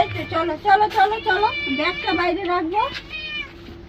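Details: Domestic cat being given a bath, letting out a quick run of wavering, whiny meows one after another, overlapped by human voices and a steady low hum.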